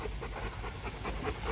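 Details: Bruno, a male Rottweiler stud dog at a kennel in Hanoi, Vietnam, breathes in quick, even pants, roughly five soft huffs per second, with low background rumble.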